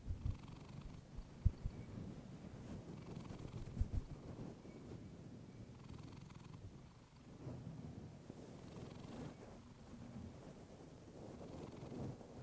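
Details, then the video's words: Deep, even purring from a female domestic cat recorded on a fluffy microphone, a low throbbing drone throughout, with a few sharp taps in the first four seconds and a softer pause near seven seconds. "Cat purring you to sleep"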